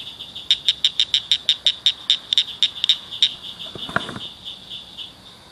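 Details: Loud little frogs at a ditch culvert after dark give a quick burst of about fifteen crisp, high chirps in under three seconds. Calling then breaks off, followed by a short low thump and quiet hiss.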